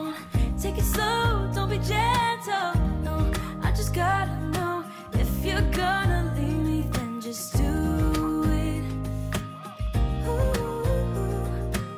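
Pop music with a singing voice and steady beat, with no animal sounds.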